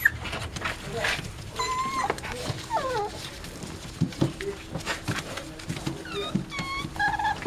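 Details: Young Dachshund litter, born 5 February 2013 in Itapetininga, São Paulo state, Brazil: thin high-pitched whimpers and squeals come in scattered bursts, several wavering downward, amid handling noises and quiet human talk.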